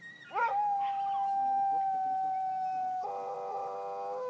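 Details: Sled dogs howling together in Kulusuk, East Greenland, in summer: one long, steady, held tone opens the chorus, then about three seconds in a second, richer and harsher voice joins and overlaps it until the end.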